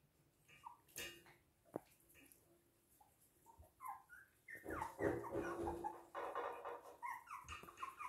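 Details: Toy and miniature poodles in Hahnstätten on 19 February 2022: scattered high thin whines at first, then from about four seconds a dense overlapping run of squeaky whimpers and short yips, with a faint low hum beneath.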